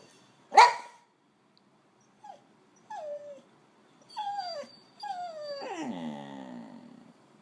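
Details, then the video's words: Boxer on a house sit in Mexico, waking its sitters in the morning; one sharp bark, then a string of falling whines that grow longer and end in a drawn-out moaning howl. "Our Daily Boxer Dog Alarm Clock"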